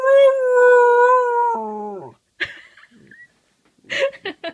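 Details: A pet dog, recorded 4-5-14, gives a sustained howl for about two seconds, slightly wavering, then breaking and dropping in pitch; a person's voice follows, encouraging the dog to do it again.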